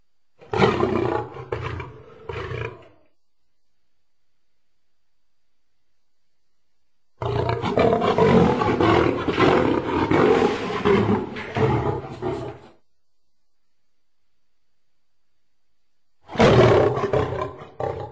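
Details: Lion producing three separate bouts of gravelly roaring: a short burst, a long harsh roar of about five seconds after a silence, then another loud burst near the end.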